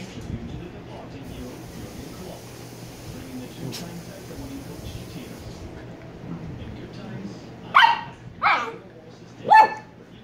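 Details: Shiba Inu pup, Kyno or Niro, quiet at first amid Vietnamese speech and room noise, then three sharp barks spaced about a second apart near the end.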